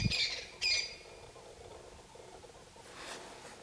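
Spotted hyena cubs give two quick, harsh, high squeals, then a faint rasp.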